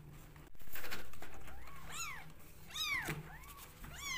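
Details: Rescue kittens competing for bottle feeding cry in a run of loud, rising-then-falling meows, several in quick succession, with a low background hum and a thump near the start.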